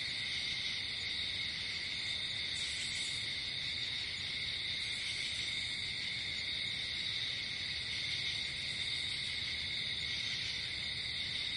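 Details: Crickets outdoors in nature at night: a dense, unbroken high-pitched trilling chorus that holds steady throughout, layered in several bright pitch bands with no pauses.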